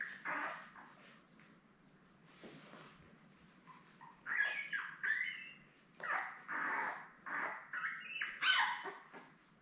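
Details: Labrador Retriever puppies, seven newborns born May 24, 2021, nursing beside their mother Belle on a live puppy cam, give bursts of high squealing and whining cries in clustered groups, louder toward the end.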